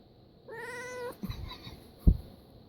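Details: Domestic cat that dislikes sneezing and protests after one: a single clear, level meow lasting about half a second, then soft thuds and rustling indoors.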